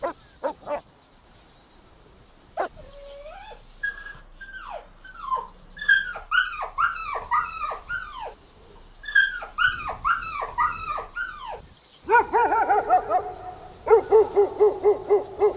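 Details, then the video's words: Golden Retriever puppies playing and running in a green meadow outdoors: a run of high, bending whines and yelps, each one sliding up then down, repeating rapidly, then a burst of quick, clipped yaps close together near the end. "Adorable Golden Puppies Playing Outdoors | Relaxing Dog Sounds"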